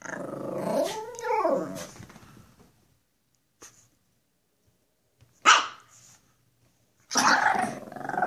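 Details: Two Pekapoms, the small female Stella and the male Moose, being goofy for the camera: a rising-and-falling whining growl over the first two seconds, then a pause and two sharp, harsh barks.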